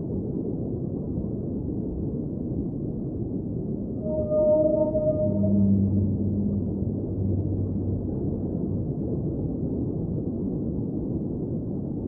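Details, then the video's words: Whale song underwater: drawn-out tonal moans with stacked harmonics swell in the middle, joined by a lower sliding hum, over a steady rushing underwater hiss that fills the whole stretch. "Underwater Whale Sounds - Ambient Soundscape | Whale Singing"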